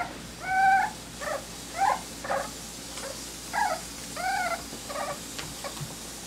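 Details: In Colorado, a litter of smoothcoat Miniature Dachshund puppies, whose parents weigh about eight pounds, makes a string of short squeaky whimpers, about six bursts spaced roughly half a second to a second apart, over a faint steady background.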